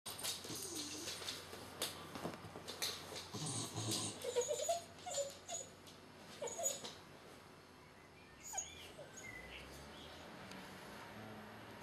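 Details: Two cocker spaniels waiting in the morning to go to the beach, giving soft, faint whimpers and short whines around the middle of the recording over steady background hiss and occasional rustling.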